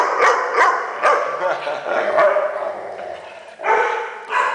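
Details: Funny noises from a Weimaraner: a string of short, rough grumbling and woofing sounds, roughly one every half second to second, with a longer moaning stretch in the middle.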